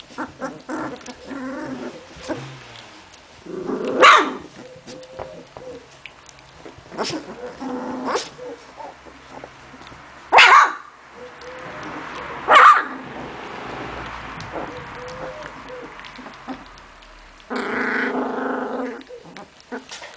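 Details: Playing puppies from Memphis-true Olga and Scarko de la Betoule, giving a few sharp isolated barks spaced several seconds apart, soft whines and growls between, and a longer harmonic squeal near the end.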